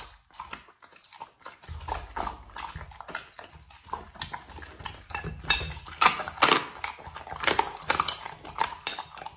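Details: Dog eating food, with irregular wet chewing, crunching and lapping bursts several times a second, plus clinks of a dish or cutlery and a low rumbling background.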